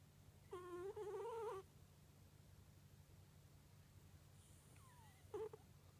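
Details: A sleeping cat named Kunugi snores with a drawn-out wavering nasal whistle about a second long, then a quiet pause and a brief falling squeak, against a soft steady low hum.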